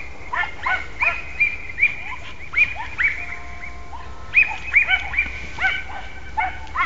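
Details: Podengo Português hunting dog in training on wild rabbit, giving a run of high, arched yelping barks about every half second, in bursts with short pauses, outdoors, distant and slightly echoing.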